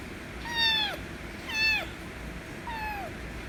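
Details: A white kitten meows loudly for affection, giving three quick, strongly harmonic meows about one second apart, each arching up and sliding down, the last one softer.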